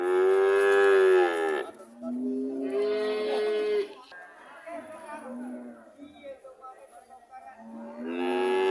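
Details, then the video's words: Cows mooing in a series: a loud, full moo, a second drawn-out call rising slightly, quieter low grunting lows in between, and another moo starting at the end. "Sound of cows"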